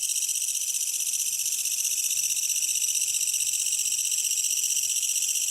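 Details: Japanese bush katydid calling at night from trees and grass outside a closed window, heard over an air conditioner; a continuous, rapidly pulsing high shrill buzz, steady throughout with no pauses.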